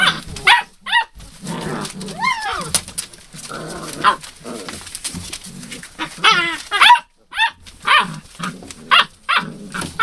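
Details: Hound puppies (Rosebud, 02/08/12) yipping and giving short sharp barks about twice a second, mixed with thin rising-falling whimpers, with faint human voices underneath.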